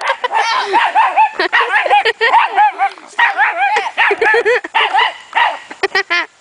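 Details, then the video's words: Puppy barking almost nonstop, a dense string of shrill yaps and yelps with only short gaps, some notes bending upward into whiny squeals. "my puppy"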